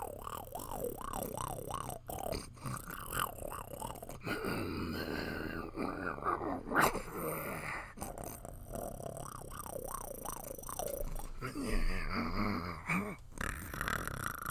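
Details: Puppy growling: a rough, rumbling growl with wavering tones that rise and fall in quick waves, broken by brief pauses, over a steady low background hum.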